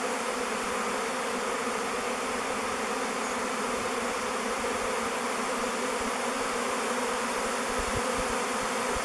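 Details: Honey bee swarm circling before entering a log hive named Bee Beard: a continuous, thick droning hum from thousands of flying bees, level and unvarying, with no other sounds.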